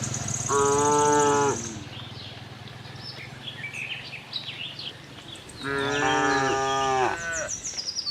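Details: Two long, deep cow moos a few seconds apart from a tame herd roaming a cattle farm looking for fresh grass, with small birds chirping in between.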